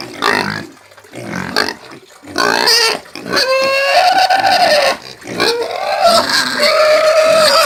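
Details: Country-type caipira pig from Brazil, starting with short rough grunting noises, then breaking into drawn-out piercing squeals that waver in pitch and stay loud through the second half.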